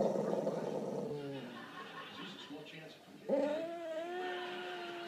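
An American Staffordshire Terrier gives drawn-out, moaning vocal sounds that slide in pitch.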